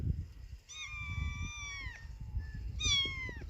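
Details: A kitten that lost its mother meows twice: a long, high, drawn-out cry that slides down at the end, then a shorter one. Low rumbling background noise runs throughout.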